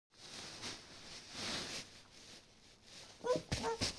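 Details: Chorkie, a Chihuahua and Yorkshire terrier mix, excited about a new toy; about three seconds of soft rustling and handling noise, then a quick burst of short, high, squeaky whines near the end.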